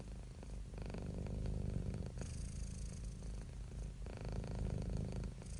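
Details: Close purring of a pet cat, with cats and kittens shown relaxing: deep vibrating hum pulsing with inhale and exhale, alternating louder and softer stretches.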